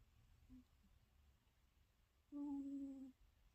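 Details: Domestic cat asleep indoors, snoring at night beside its owner: a single steady, nasal, whistle-like tone of under a second with faint overtones, rising out of a quiet room hum and fading abruptly.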